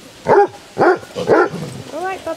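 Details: On a 100th group walk of 23 Basset Hounds around Ham Hill, Somerset, three loud, deep barks in quick succession, roughly half a second apart, followed by a person's voice.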